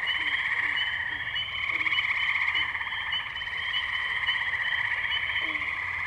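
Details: Wetland tree frog chorus from Firestone Park in Columbiana, Ohio, recorded May 6, 2023 on a Zoom H2n: many callers merge into a steady shimmering trill, punctuated by soft low clucks roughly every second.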